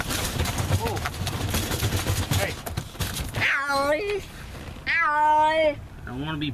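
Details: Feral stray cat from the neighborhood, caught during trap-neuter-return trapping, gives two drawn-out, slightly wavering meows in the second half, each about a second long. They follow a stretch of loud rustling and clattering noise.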